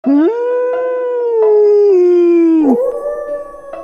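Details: A wolf howls in a long, smooth, steady tone that rises briefly at the start and sinks slowly, then breaks into a second, higher held note after a short pause.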